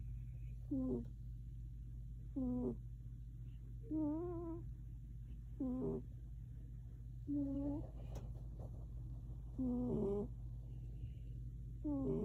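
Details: Sleeping cat snoring, each breath carrying a thin, wavering nasal whistle that rises and dips, repeated roughly every one and a half seconds over a low steady hum.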